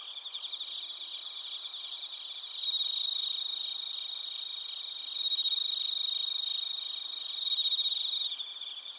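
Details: Crickets including bell crickets calling in Narita, Chiba, Japan, recorded with a TASCAM Portacapture X8; rapid high trilling pulses, about 220 per minute, with three louder sustained ringing bursts swelling over the chorus.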